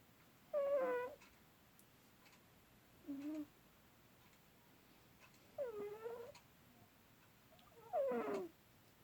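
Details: Domestic cat, asleep, letting out four soft mews spaced about two and a half seconds apart. Each is a short tonal whine, some bending downward, with silence in between in a quiet room.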